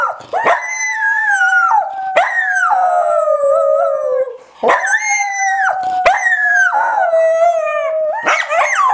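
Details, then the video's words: A dog sings his teddy bear to sleep at naptime with a run of long howls, each opening in a quick rising yip and gliding gently down, phrases repeating about every two seconds with brief breaks. "Dog singing teddy bear to sleep"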